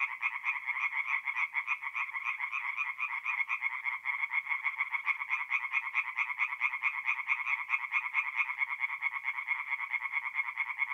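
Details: Night chorus of tree frogs at a forest pond in North-East Italy, mid April, with rapid pulsed croaks repeated about twice a second, several callers overlapping into a bright rhythmic rattle.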